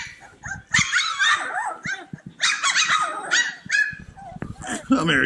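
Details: Several playful puppies yipping together: bursts of high, rapid, overlapping yelps and whimpers, with a person speaking nearby.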